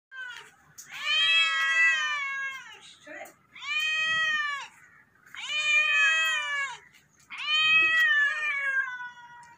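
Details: Domestic cat meowing loudly: four long, strongly harmonic meows about two seconds apart, each slightly falling at the end, with short quiet gaps between.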